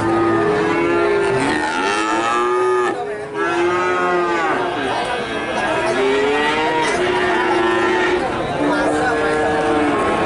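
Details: Nganjuk calves in Indonesia call continuously, many nasal arching moos overlapping, each rising then falling over about a second, in a dense, busy chorus with little pause.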